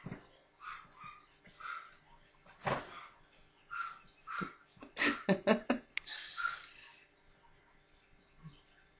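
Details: Playful newborn Maltese puppies, four together, making high squeaky whimpers that build into a quick series of louder yelps at midpoint, followed by a brief hissy rustle.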